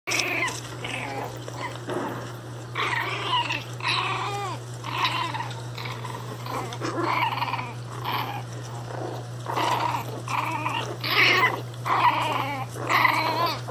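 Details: An angry Pinscher dog gives harsh, wavering vocal bursts with bent, whining pitch, roughly one each second with short gaps, over a steady low electrical hum.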